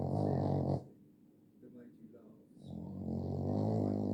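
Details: A Boston Terrier snores loudly, with deep rattling breaths separated by a short quiet pause.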